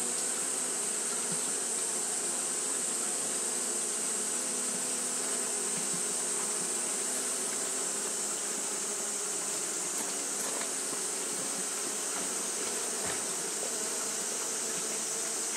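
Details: Japanese honey bees fanning in the heat produce a sustained, slightly wavering drone of low humming tones, steady high hiss throughout, with a few faint ticks partway through.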